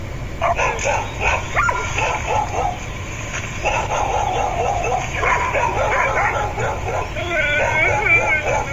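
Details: Pet dogs barking at a door to be let into another room; dense, uneven runs of barks and high yips overlap with human voices, ending in thin whining tones.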